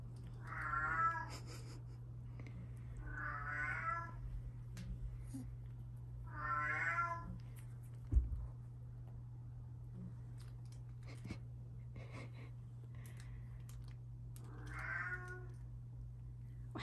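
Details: Two British Shorthair kitten sisters, one lilac and one fawn, three and a half months old, born June 28, 2023, indoors: four drawn-out harmonic meows spaced a few seconds apart, the last one after a long pause, over a steady low electrical hum.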